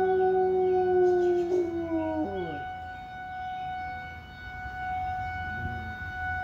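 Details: Rottweiler; howl; howling in response to a fire alarm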